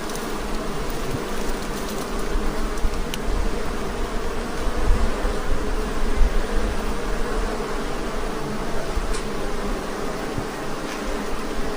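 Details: Very aggressive honey bee hive: a thick, continuous hum of many bees, steady and low, with layered droning tones that rise and fall gently in loudness. Low rumble and occasional faint ticks mix in.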